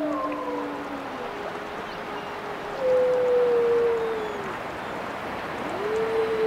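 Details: Wolves howl in turn: long level tones fade out, a clear howl holds steady and then dips, and a final voice swoops up into a sustained note over a soft, hissy background.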